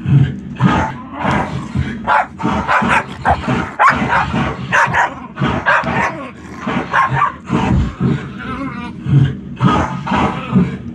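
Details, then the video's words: Dog inside a home barking at dogs barking on TV, giving repeated rough barks in irregular runs throughout, over a steady low television soundtrack. "barking at dogs barking on tv"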